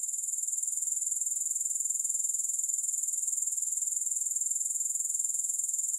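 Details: Steady shrill grasshopper chirring, high and even, pulsing in a regular rapid rhythm throughout with nothing else audible and no music.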